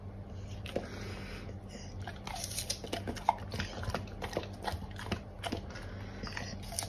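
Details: Pear-loving Golden Retriever chewing fruit in a small room, a steady run of wet crunching bites and clicks about every half second, with a faint low hum underneath.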